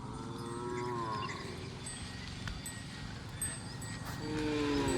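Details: Desi cows from a herd of about 200 at Limbala Tanda, Yeldari, with one drawn-out wavering moo at the start and another rising moo near the end, heard over a steady low rumble and faint clinks.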